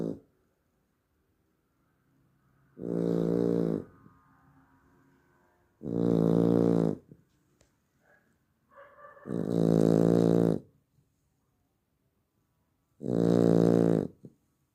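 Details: Labrador Retriever puppy asleep at night, snoring in four heavy, buzzing, drawn-out breaths roughly every three to four seconds, with faint small snuffles and shifting sounds between them.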